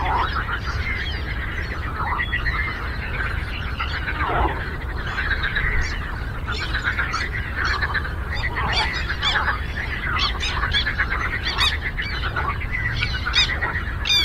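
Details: Massed frog croaking on a lake, rapid buzzy pulses from many callers running continuously, joined by sharp high clicks and ticks scattered through the second half.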